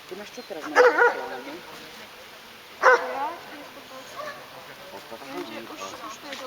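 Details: Hovawart named Damien Dexter at a dog obedience exam (Skúška Ovládania Psa) in Handlová on 14 July 2013, scoring 90 of 100 points; two short, loud barks about two seconds apart, with people talking throughout.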